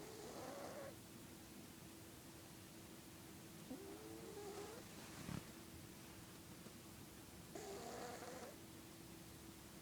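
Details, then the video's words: Snoring from Felix, a sleeping pet cat: raspy breaths with a whistled, slightly sliding nasal tone, a quieter grumbling breath between them, and a continuous low hum in the room. "Snoring Cat"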